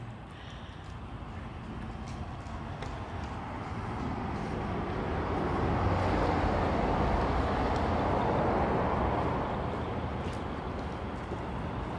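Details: Broad outdoor rumble of a vehicle or wind that swells toward the middle and then eases, with faint ticking and no barking or other animal sound.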